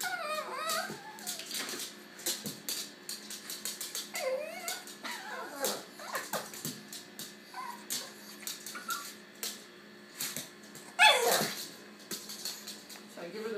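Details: A female Pekingese puppy, excited and dancing on two feet over new toys, gives high, whiny whimpers and yips in short bursts.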